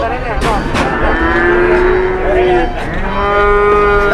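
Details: Fat cattle at a busy market, one animal refusing to stand: two sustained mooing calls, the first long and slightly falling, the second level and held. Layered lowing and crowd noise run throughout.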